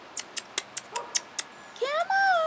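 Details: Rottweiler puppies 4.5 weeks old, outside for the first time: a series of sharp ticking clicks, then a long high whine sliding down, with layered tones over a quiet background.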